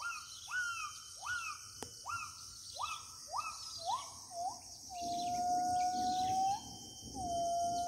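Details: Gibbon in the remote forest of Kalimantan: quick, closely repeated rising notes speed into a sequence, then give way to long, steady, slightly wavering tones, with an insect hum throughout.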